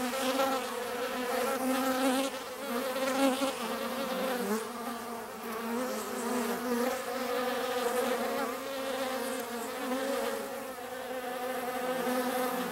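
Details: Several bees gathered to drink water, producing an unbroken droning buzz with stacked humming tones that waver and pulse gently as individual insects come and go.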